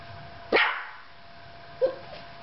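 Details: A Yorkshire Terrier, left alone with the camera, gives a sharp, high bark, then a softer, shorter one just over a second later.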